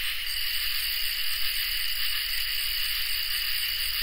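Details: On a peaceful summer night, crickets and katydids keep up an unbroken, piercing drone of several stacked tones, joined by a fine, fast-pulsing trill near the top.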